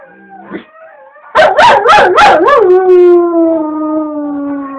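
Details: Pet dog keen for a walk gives a brief whine, then a burst of four rapid, loud, wavering yips. These flow into a long howl that slowly falls in pitch.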